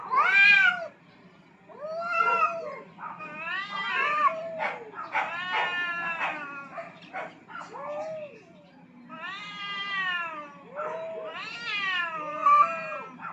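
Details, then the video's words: Two aggressive cats fighting for dominance on a rooftop: loud, wavering yowls with arching, bending pitch, some climbing then sagging, come in irregular bursts separated by short pauses across the whole stretch. "Cats Fighting for dominance at the roof top"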